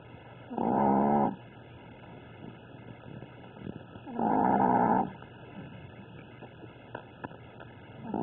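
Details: Chihuahua asleep and snoring loudly, described as a crazy sleeper: harsh, buzzing snores about every three and a half seconds, three heard, with soft breathing noise between them.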